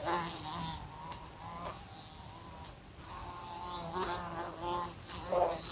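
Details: A fly buzzes in a room near a lamp, in wavering, droning bursts, its pitch rising and falling as it moves about and bumps into the lamp.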